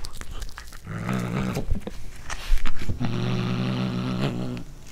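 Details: Cat growling over corn it is eating for the first time, indoors, recorded with a Panasonic DC-GH5. A short low growl is followed by a longer steady rumbling growl lasting over a second, with a few crunching chews between them.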